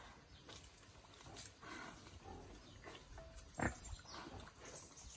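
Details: A small wild boar, released to forage naturally, gives low, rough grunts and snuffling snorts, with one sharp loud snort midway.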